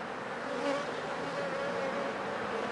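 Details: Steady hive hum from honey bees after about four days of rain, with dead bees lying wet before the hive; a dense, continuous buzz, with brief higher-pitched whines from single bees flying close.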